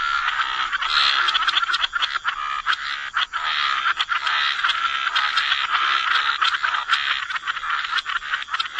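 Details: Many frogs in a waterside wetland croaking together as a thick, unbroken rattling chorus, fast pulses running under a constant raspy hum.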